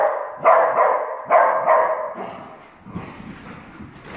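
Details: Two Dachshunds, Jax and his sister Penny, playing and chasing each other indoors. Harmonic, growly barks rise in bursts, three strong ones in the first two seconds, then softer grumbling and scuffling.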